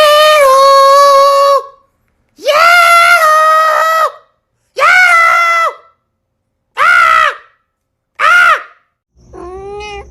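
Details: Domestic cat meowing: six drawn-out, harmonic-rich meows, each one to two seconds long, some level and some rising then falling, separated by short silences, with the final call fainter.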